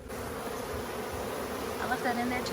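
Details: Honeybees during a first hive inspection, frames lifted while the queen is sought: a dense, steady hum fills the clip, with a man's voice breaking in near the end.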